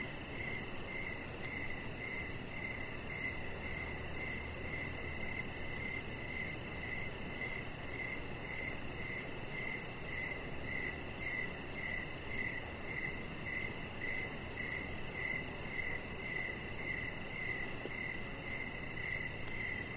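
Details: Crickets chirping outside in the evening by a deck with decoration lights. A steady train of short, high chirps repeats nearly twice per second over a constant low background hum.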